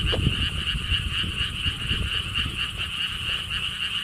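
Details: Short burst of a frog chorus at Siheung's lotus theme park, Korea: rapid pulsed croaking from many frogs over heavier low-pitched rumbling and thumping background noise.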